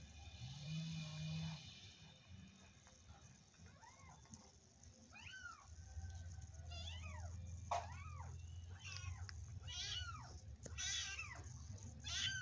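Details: Domestic cat meowing in a series of short arched calls, some rising then falling, repeated roughly every second from about four seconds on, over a steady low hum.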